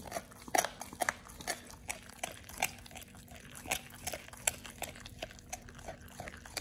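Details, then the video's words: Raw ostrich paw crunched by Oliang, a Pit Bull eating it for the first time; crisp, cracking bites land about every half second, bright and clicky, against a faint indoor hum. "Oliang the Pit Bull 1st time eats Raw Ostrich PAW [ASMR] BARF | MUKBANG 動物の咀嚼音 | 犬が生の肉を食べる"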